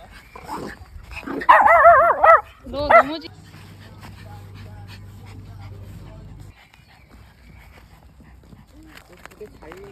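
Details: A Pomeranian at a campsite in Gapyeong, South Korea, gives a few high, wavering whines and yips while people talk nearby.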